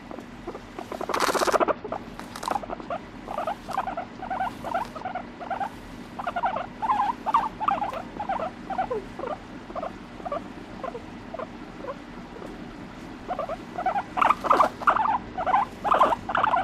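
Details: Pet guinea pig vocalising indoors with no background music: a run of short squeaky chirps and rumbling notes, quickening into bursts, with a loud thump early on and a fresh flurry of squeals near the end.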